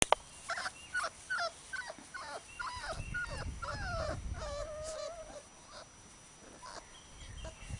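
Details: Labrador Retriever puppies playing outdoors on a field. Short, high whiny yips tumble out in quick succession over the first five seconds, including a longer wavering whine, then fade to soft scattered squeaks.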